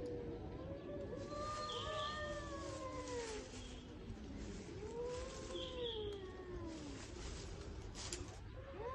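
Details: Spring cat showdown between strays: low, slow moaning yowls that bend upward and slide down, overlapping voices trading long wails, with steady background rumble.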